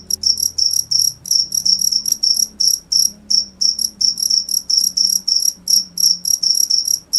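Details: A cricket sings in rapid, evenly spaced high-pitched chirps, each a short ringing pulse train, repeating about three times a second against a quiet low background hum.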